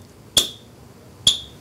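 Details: Yellow-bellied marmot alarm calls in a playback experiment: two sharp, high chirps, the second with noise added so it sounds raspier, the noise conveying fear; noisy calls suppressed foraging in listeners compared with normal calls.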